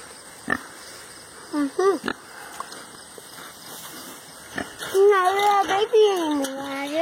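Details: Pet male pig indoors, happy while being petted, scratched and given ear rubs, making short tonal squeaky grunts near the start, then longer wavering, sliding oinks in quick succession over the last two seconds, with a person talking throughout.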